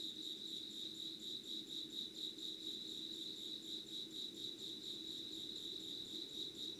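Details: Insects singing in Yugawara, Kanagawa, Japan, at 5 a.m. on 25 August 2019, filmed with candle light: an unbroken shrill trilling chorus that throbs in rapid regular pulses, over a faint low drone.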